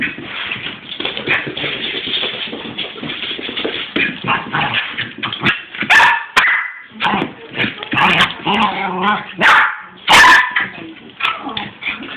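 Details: A 6-month-old Cairn Terrier cross Westie, described as going a little mad, gives excited, high yips, whimpers and sharp barks in quick bursts.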